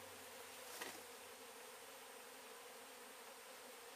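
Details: Honey bees from a small hive removed in Weslaco, Texas, on a cloudy day, a swarm that moved in two weeks earlier: a steady low droning hum with a brief louder click near the start.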